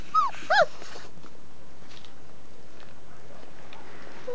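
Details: Family-raised German Shepherd puppies, 29 days old, give a few brief, high, arching whimpers, then fall quiet.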